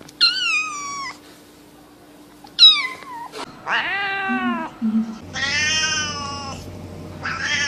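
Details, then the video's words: Cute cats meowing: a series of high, drawn-out meows, some falling in pitch and some wavering, with short pauses between calls and a faint steady hum underneath. "Sounds of cute cats: cat , cat"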